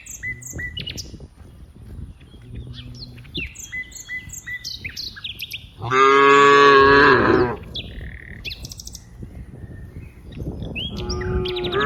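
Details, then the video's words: Cows in green rice fields, among dozens playing together: one loud drawn-out moo of about a second and a half midway, a rougher moo near the end, with many small birds chirping and twittering throughout. "funny cow sounds, Moo cow sounds"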